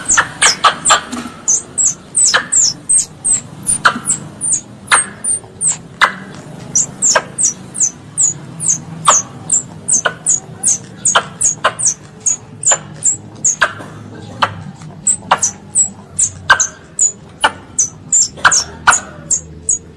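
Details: Calling its mother, a pest squirrel gives a long unbroken chain of sharp, high, piercing chirps, each brief and downward-slurred, repeated rapidly and fairly evenly throughout, with occasional clicks.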